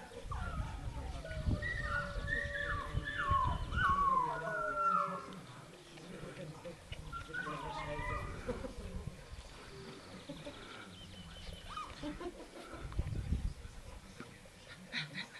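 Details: Dogo Canario puppies born 9 June 2009 give high, wavering whimpers and whines in clustered bursts early on and again midway, with a person talking softly in German throughout.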